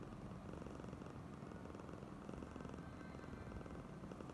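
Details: Affectionate female cat Oyen purrs in a continuous low rumble, the rapid pulses steady and even, with soft room noise underneath.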